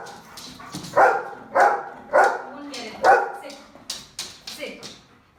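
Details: Domestic dog barking for attention, an irritating constant tone: four loud, evenly pitched barks roughly half a second apart, then softer, shorter yips trailing off, with speech faintly mixed in.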